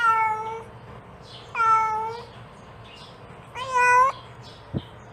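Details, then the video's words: A mother cat calls her kittens with three drawn-out meows, level and clear, the last one rising and louder, followed by a faint click near the end. "The Sound of a Mother Cat Calling Her Kittens"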